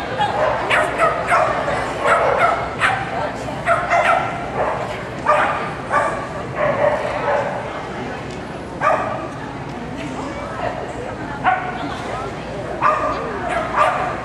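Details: Cascabel, a dog competing at an AKC agility trial in Winchester, Virginia, in July 2010, gives sharp, harmonic barks in irregular bursts, several per second at times, over a steady background of voices and crowd noise.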